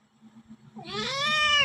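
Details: A domestic cat meows once. The call is a drawn-out, nasal meow that starts low, rises, and holds steady, following faint background rustling.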